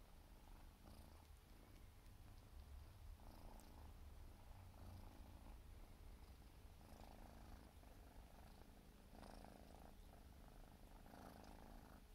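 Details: Siberian forest cat kitten, 4 months old, grooming and purring; deep continuous rumble with repeated soft licking bursts spaced a couple of seconds apart.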